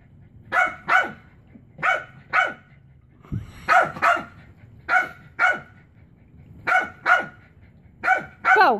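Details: Pet Chihuahua barking while trying to get its favourite frisbee off a chair: high, sharp barks in quick pairs, repeated roughly every second with short pauses, ending in a whiny yelp.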